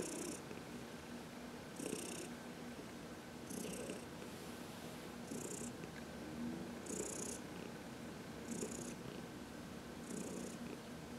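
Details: Purring from Heidi, an elderly cat adopted from the Humane Society of New York City, during a sunny massage on March 19, 2021; continuous soft rumble pulsing in regular breath cycles, each marked by a brief airy high-pitched burst.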